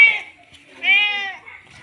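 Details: Tomcat in heat calling a female after mating, giving a short meow followed by a longer, level, harmonic wail.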